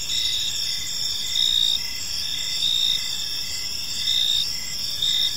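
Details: Crickets chirping on an evening in a park, a steady high-pitched trilling band with pulses swelling roughly every one to one and a half seconds over a faint low background hum.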